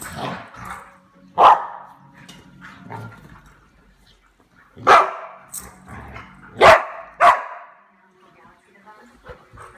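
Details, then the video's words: Pet dog barking during night-time play with another dog indoors: four loud sharp barks in two pairs, separated by quieter scuffling and a person talking. "Ginger Barks at Daisy"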